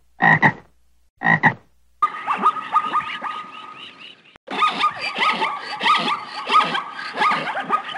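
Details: Frog giving two rasping double-pulsed croaks, followed by a dense, continuous chorus of overlapping chirping and croaking calls with a steady whistled tone running through it.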